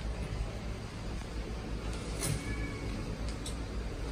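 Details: Steady low traffic rumble with a brief hiss, like a passing bus and air brake; no animal heard.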